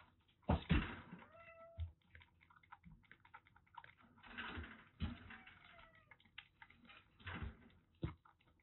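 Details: Two female kittens about three and a half months old, rescued from a sweltering attic in Japan, still clingy and seeking affection. Several short, soft meows, some rising then falling, are heard among heavy thumps and rustling handling noises.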